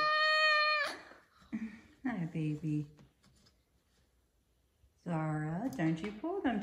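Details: A big 5-year-old male F2 Savannah cat gives a loud, steady, high meow in the morning, vocally demanding his chicken early, followed by a person talking softly.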